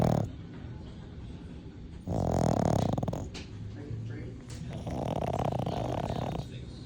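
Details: A sleeping female French bulldog gives deep, rattling snores, each breath a drawn-out rasp lasting a second or two, while a person speaks a few words nearby.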